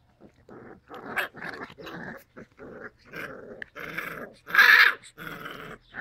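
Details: Labrador Retriever puppies growling and grumbling in a quick series of short, gritty bursts that build to one loud, harsh growl near the end.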